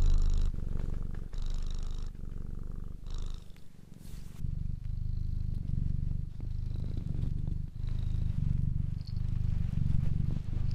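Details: Loud, deep purring from a pet cat, continuous vibration rising and falling with each breath, a brief rustling break near the middle before the steady rumble resumes.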